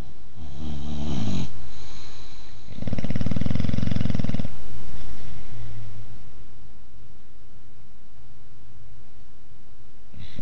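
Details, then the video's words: Boxer dog Ozzy, who snores both asleep and awake: a short rattling snore at the start, then a louder, longer, vibrating snore lasting nearly two seconds, with soft low breathing between and after. "Boxer "Ozzy" Dog Snoring!"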